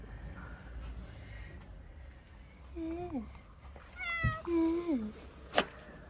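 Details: Calico street cat from Morocco that gave birth to four kittens meows three times, each call starting high and sliding downward, the last the longest, followed by a sharp click against faint room hum.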